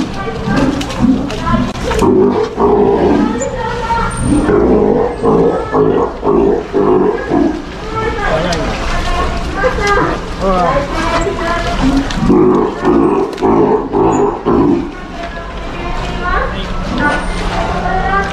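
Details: Female Steller sea lion pup almost a year old, kept at an aquarium in Ise, Japan, practising not biting while a third staff member touches her: repeated harsh, pulsing roars in bursts of a second or two, mixed with people talking.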